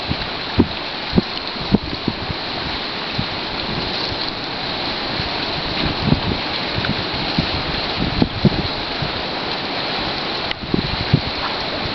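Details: Strong wind buffeting the microphone by a lakeside in spring, with scattered thumps and rustles and no animal voice heard.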